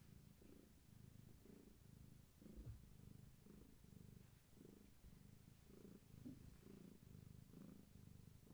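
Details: Gaia, a long-haired tabby cat pregnant with many kittens, held indoors and purring steadily: a deep rumbling purr swelling and fading in regular breaths roughly every half second to second, with little else heard.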